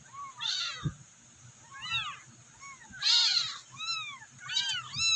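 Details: Abandoned, rescued kittens give high, thin meows again and again, calling for their mother.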